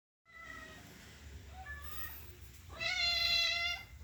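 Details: Happy cat meows: two faint, thin calls followed by one loud, full, rich meow held for about a second.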